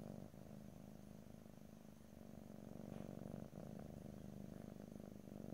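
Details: House cat purring, deep throbbing drone with quick regular pulses, breath-linked swells and a brief pause near the middle, close stereo recording, no talking.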